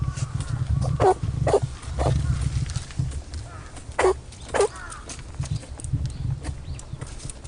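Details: Rabbit on Okunoshima, the Rabbit Island of Takehara City, Hiroshima Prefecture, Japan, sneezing again and again: four short, sharp bursts arriving in two quick pairs, over a steady low rumble in the background.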